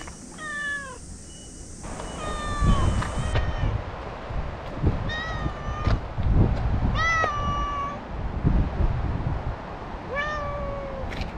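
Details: Chatty stray cat being petted, meowing often: a run of clear harmonic meows, some bending upward, others flat and drawn out, amid rustling and handling noise, with a high hiss fading after the first seconds.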